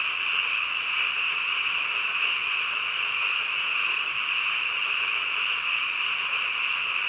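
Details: Frogs calling at midnight: a dense, unbroken chorus, a steady high trilling wall of sound that never pauses or changes in loudness over seven seconds, with no other clear sounds.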